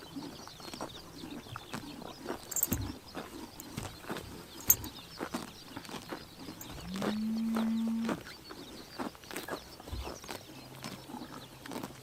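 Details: Horses grazing on a summer morning in Tuv province, Mongolia, tear and chomp grass in quick irregular crunches, with a brief low droning tone held for about a second midway and faint bird chirps behind.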